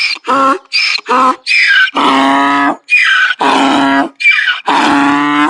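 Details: A donkey's bray, given when angry or afraid: harsh rasping notes switching between higher, thinner wheezes and deeper, fuller honking blasts in a hee-haw rhythm, loud and close over five seconds.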